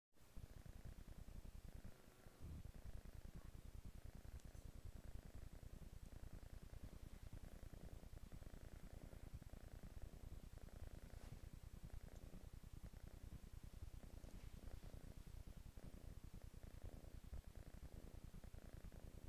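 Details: Kitten purring on a couch indoors: a steady low rumbling purr, about two pulses per second, continuous throughout with little else heard.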